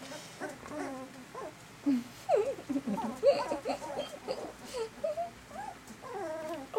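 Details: Eighteen-day-old puppies from Sweetie's litter of eleven, eyes now open and walking about, keep up a busy stream of overlapping squeaky whimpers and yelps, rising and falling in pitch, with a soft human voice woven in.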